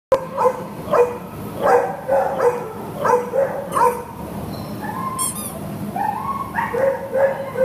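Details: A long-coated Chihuahua up for adoption, recorded 6/2/2015, gives a run of short, yappy barks about every half to one second, then a few higher yips and a brief squeaky whine over a steady background hum.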